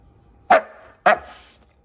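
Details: Siberian Husky trying to eat a slippery green bean gives two short, sharp barks about half a second apart, each a bright burst fading quickly, with a quiet indoor background.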